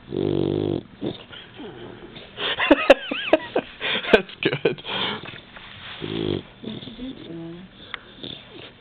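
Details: Newly adopted pet Labrador Retriever sleeping indoors, snoring: a deep harmonic rasping breath at the start and again near six seconds, with people's voices and scattered indoor noises between the snores.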